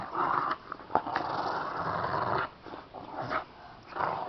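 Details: Bulldog and Chihuahua playing and rolling together indoors; rough, breathy growling bursts in close succession, some sharper snaps between them, in a small room.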